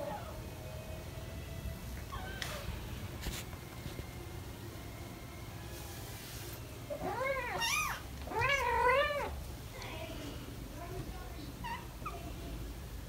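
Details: Four British Shorthair kittens, almost five weeks old, play and run around indoors while parents Ted and Chloe watch; after quiet thumps and rustling, a burst of repeated high arching meows mid-clip, then softer mews.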